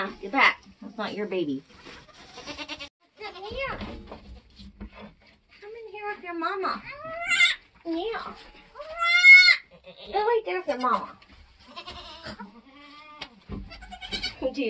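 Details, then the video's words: Nigerian Dwarf goat kidding on a homestead, start to finish: short rising and falling bleats scattered between people talking, the loudest a high, quavering cry near the middle. "nigerian goats being born start to finish"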